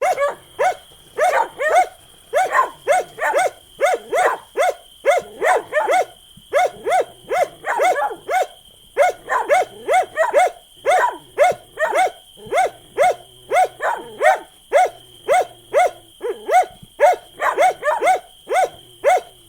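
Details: Continuous dog barking, rapid and somewhat irregular, roughly two barks a second over twenty seconds, some barks doubled or overlapping, a steady high tone humming underneath throughout.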